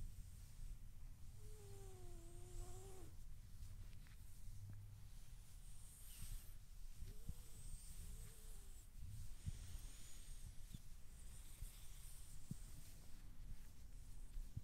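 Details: Ora, a 13-week-old Borzoi puppy, being petted, gives soft, drawn-out whining tones that waver and bend: one longer call early on and two shorter curved ones a few seconds later, over steady rustling and handling noise.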